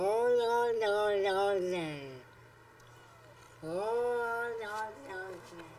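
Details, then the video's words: Speech-like yowls from the Oh Long Johnson talking cat: a long wavering cry that slides downward and fades, then after a pause a second yowl that swoops upward and breaks into shorter syllables, with a faint hum throughout. "Talking Cat Saying "Oh Long Johnson""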